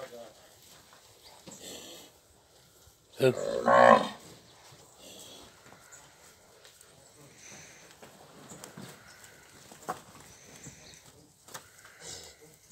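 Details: Nelore cows in a herd of 71, calved and pregnant, in the Ribeirão Preto region of São Paulo state; one loud, harmonic moo lasting under a second rises over quiet farm background with faint voices and scattered noises.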